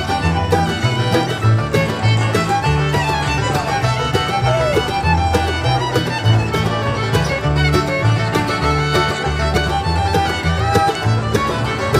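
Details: Loud country-style fiddle music with a steady beat and some speech underneath, and no animal sound.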